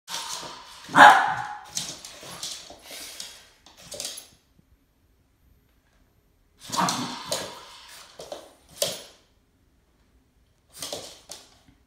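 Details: Boston Terrier confronting a snake, giving a loud sharp bark near the start followed by softer scattered yips and huffs, then two short bursts of barking after a quiet gap.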